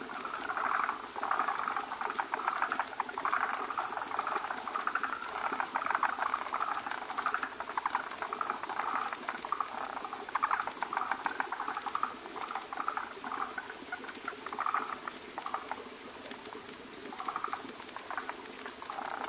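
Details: Forest green tree frogs gathered at a breeding site, where many males cluster around a large egg-laden female laying a foamy egg mass, call together in a dense, rattling chorus of quick clucking notes.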